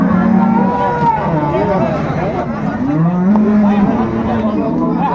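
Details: Market cattle at Ambari Haat, Dinajpur, 21 March 2025: a single low moo that swells upward and levels off near the end, partly buried under busy crowd talk and passing vehicles.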